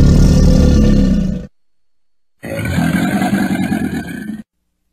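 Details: Crocodile giving two deep, rumbling growls, each about one to two seconds long, low and rough with a strong bass, separated by a sudden silent gap.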